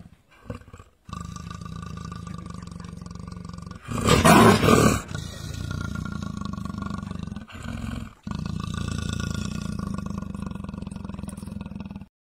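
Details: Deep, steady pulsed rasping from a leopard trapped in a cage in Gir Forest, Saurashtra, broken by one sharp, loud breathy blast in the middle and a few brief pauses.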